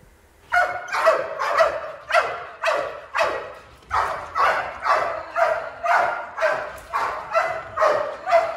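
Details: Bark training of a Malinois from a breeding program, the bark developed as a warning and later used in intruder containment; steady, rhythmic barks roughly twice a second, loud and uninterrupted after a brief quiet start.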